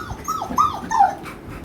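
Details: American Bully dog, happy about being taken out travelling, lets out short high whines that bend up and then fall, two or three in quick succession.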